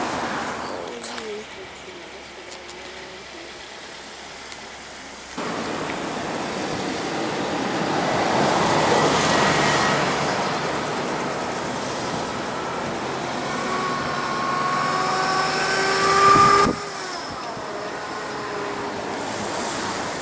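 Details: Rutting bull elk in Rocky Mountain National Park, September 2017, busy rounding up his harem; after a stretch of background rumble, a drawn-out harmonic whistled tone builds and rises over several seconds and ends in a loud burst, with steady wind or traffic-like noise underneath.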